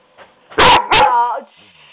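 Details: Skooter, a pet dog being mouthy and talking back to its owner, gives two sharp, loud, high barks in quick succession, each trailing into a brief whine, while a woman scolds it indoors.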